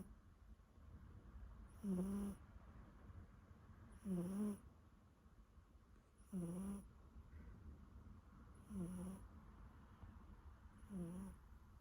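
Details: Siberian Forest kitten snoring while asleep, a soft rasping breath sound repeated about every two and a half seconds, five snores in a row, each brief and low with a faint wheezy edge, over a quiet background.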